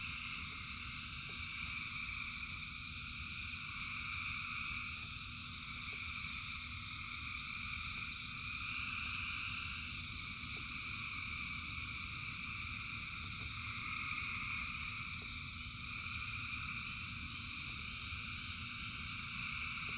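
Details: Thousands of frogs calling together during rain. Continuous overlapping trills in stacked pitch bands swell and ease slightly over time, with rapid pulsing and a steady low wash of falling rain beneath.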